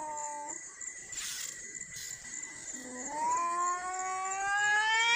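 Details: Crying from a white cat and a brown cat: soft held tones at first, then a wail that swells and climbs steadily in pitch toward the end.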